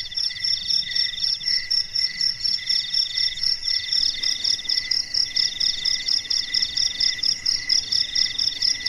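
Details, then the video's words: Crickets singing through a silent night, layered high-pitched trilled chirps pulsing in an even rhythm, several callers overlapping at different pitches, and a faint low hum in the background. "SUARA JANGKRIK MERDU DI MALAM HARI"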